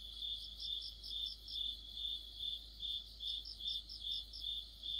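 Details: Autumn insect chorus led by crickets: shrill, even pulses repeating a little over twice per second, with a second, higher cricket chirping in quick runs of beats, first early on, then again near the end.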